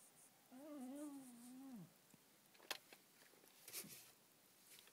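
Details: A sleeping Schipperke gives a drawn-out, nasal moan that holds steady before sliding down at the end; the owner is unsure whether he is snoring or dreaming.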